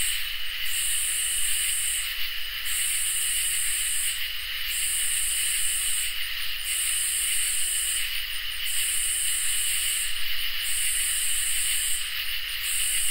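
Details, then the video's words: Katydids and crickets in a summer night chorus: over an unbroken high trill, a very high rasping buzz pulses in long phrases roughly every two seconds, with short stuttering breaks between phrases, seven phrases heard. "Crickets and Katydids in Summer | Ambient Night Chorus"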